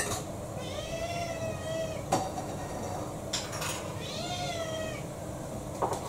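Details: During a dinner strike in December 2022, the house cat Kou-chan, about six years old, lets out two drawn-out, rising-then-falling meows a few seconds apart, with sharp clicks and clatter of dishes between them.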